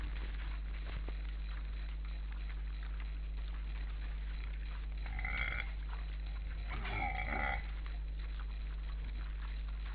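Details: Wild boars at an Estonian forest camera on 12 December 2012 at 16:44, eight boars present, two of them in conversation: two short, harmonic squealing calls near the middle, the second longer, over a steady low hum.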